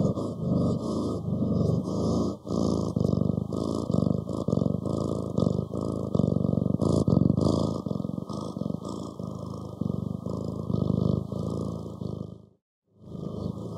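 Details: Cat purr, a continuous low vibrating rumble rising and falling with each breath, briefly stopping near the end before resuming.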